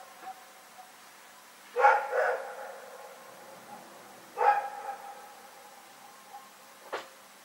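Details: Night-time barking from the dog Rex, recorded on 27 February 2018: two separated bursts, each a loud bark with a softer echoing follow-up, then a sharp brief click near the end amid near silence.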